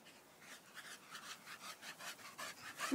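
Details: Staffordshire Bull Terrier, one of several staffies, pants softly in quick breathy bursts, about three per second, and ends with a short rising squeak.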